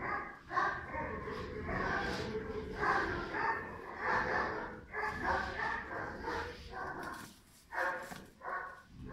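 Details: Pirat, a five-month-old German Shepherd puppy of strong nerves and high drive, barks steadily throughout, loud rasping barks roughly every second with brief pauses, mostly in close succession.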